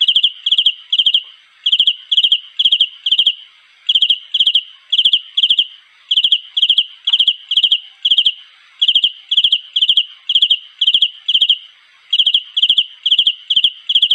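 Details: Mate-seeking cricket call: shrill pulsed chirps of three to four beats each, delivered about twice a second in a long series, broken by brief pauses, with nothing else audible.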